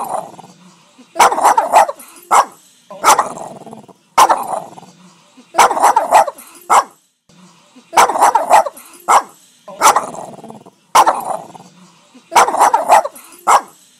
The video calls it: Dog Barking : Boston Terrier barking sounds